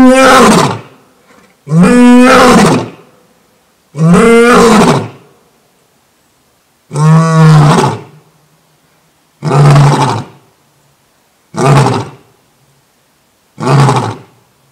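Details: African savanna lion giving a full roaring bout, used for territory marking and pride contact: seven powerful, rough roars spaced about two seconds apart, each somewhat shorter than the last, becoming lower, grunting calls toward the end.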